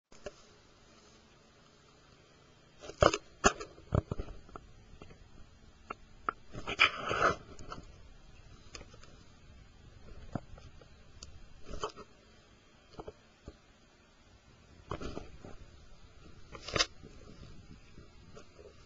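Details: Two male Maltipoo puppies, eight weeks old, playing together indoors; short bursts of soft growls, yips and scuffling come in clusters separated by quiet pauses, loudest around the middle of the clip.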